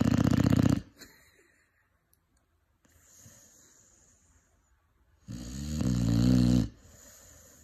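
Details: Five-month-old Cane Corso puppy snoring indoors: a loud rasping inhale at the start, then a quiet pause with faint airy breathing, and another long harsh snore near the end.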